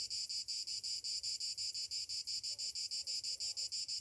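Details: Summer cicadas at morning, their harsh high buzz chopped into clear, even pulses about three per second, with soft faint chirps underneath near the end.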